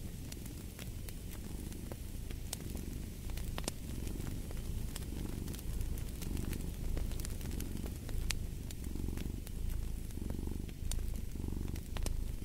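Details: A cat purrs in a deep, rhythmic rumble, each breath cycle swelling then easing about once a second, with scattered crackles and snaps of a fireplace on top.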